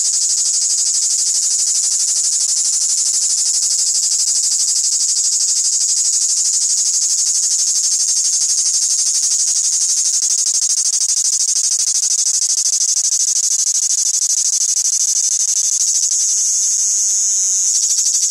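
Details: A live male cricket keeps up a steady, high, shrill trill without a break.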